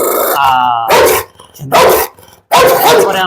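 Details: Heavy, aggressive pit bull confronting a person: a brief whine-like tone opens, then three loud, rasping barks spaced roughly a second apart.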